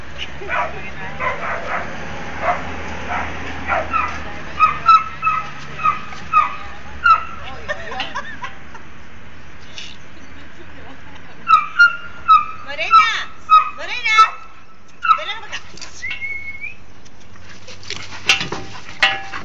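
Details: Bull Terrier at home playing with a cat, giving a run of short, high, whining yips, sometimes every half second, in the first half, then louder bursts of squeaky yelps and whimpers after a brief pause, with faint voices in the background.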